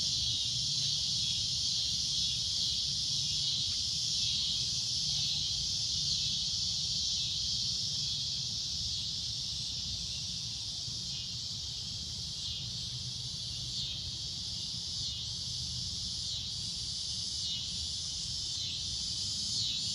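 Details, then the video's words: Cicadas droning at sunset, a shrill high buzz that swells and pulses slightly, roughly three times a second, dipping a little in loudness midway, with a faint low hum underneath. "Cicada A Loud Shrill Droning Noise"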